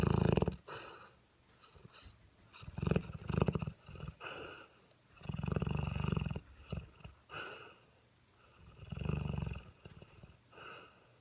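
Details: Male Mastiff puppy Dentéa, seven months old, asleep and snoring in an uneven rhythm: a string of short and longer low rattling snores with snuffly breaths and pauses between them.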